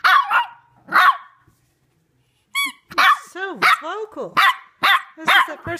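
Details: A 3-month-old female Shih Tzu puppy gives short yips, then wavering, bending wolf-like howl notes after her squeaky toy squeaks, howling at the toy.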